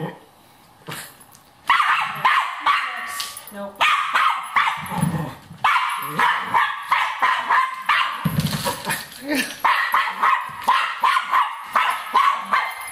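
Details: Cairn Terrier going after a rat, firing off quick bursts of shrill, excited barks, nearly three per second, separated by short pauses, with human voices audible in the background.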